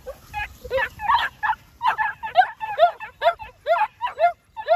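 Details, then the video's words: New Zealand Huntaway puppies yelping in a quick, uneven string of short, bright calls, several overlapping, each dropping slightly in pitch, about two per second, over faint low background rumble. "NZ HUNTAWAY PUPPIES"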